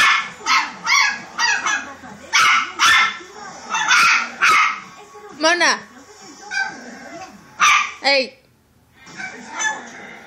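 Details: A small female Pomeranian, just put in her crate as punishment for destructive behaviour, gives a run of odd, high yips, whines and squeaky vocal bursts.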